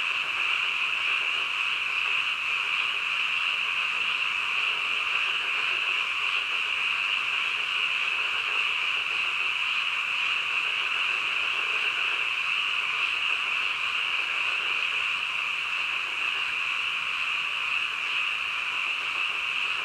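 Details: Midnight frog chorus, many animals calling at once so the croaks blend into a continuous bright buzzing hum, unchanging in pitch and loudness throughout.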